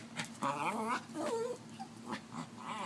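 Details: Pet dog Lithsy gives odd, wavering moan-like whines with wobbling harmonic tones: two drawn-out cries within the first one and a half seconds, then shorter, softer bursts, while a person's voice teases it nearby.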